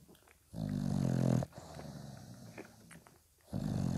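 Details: Five-day-old dog puppies, nursed by their patient mother Spikkels, indoors; a low, harmonic grunting burst lasting about a second, a quieter snuffly pause, then another deep grunt starting near the end.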